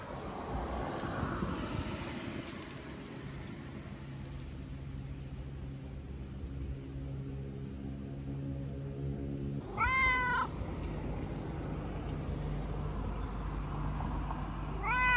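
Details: Chatty stray tabby-and-white cat returning affection with rubbing and licking; a steady low mechanical drone fills the first ten seconds, then one clear wavering meow sounds, with another beginning at the very end.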